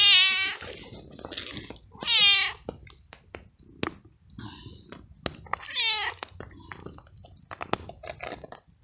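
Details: Hungry stray male cat out in the rain, frightened and cold, meows loudly between bites; three short bent meows spaced a few seconds apart, with chewing and clicking sounds of eating filling the gaps.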